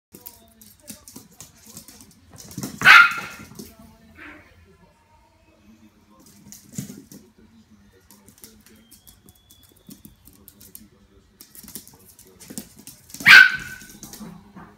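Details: A 13-week-old Yorkshire Terrier puppy gives two sharp, high-pitched barks about ten seconds apart in a quiet room.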